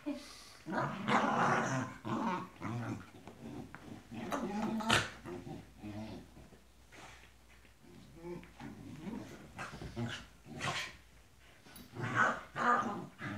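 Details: Tibetan Terriers playing together indoors, giving rough, noisy growls in irregular bursts every second or two that swell and fade in loudness, with a person's voice faintly in the background.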